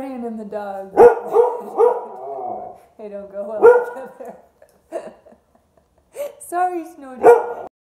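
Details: Siberian Husky howling along with an accordion, drawn-out wavering howls in several bursts with steady harmonic tones, the accordion notes blending in underneath.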